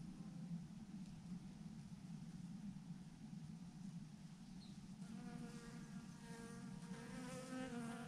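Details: Thousands of honey bees hanging in a massive clump on a branch, a swarm giving off a steady low drone with a dense buzzing hum, harmonic whine strengthening in the second half.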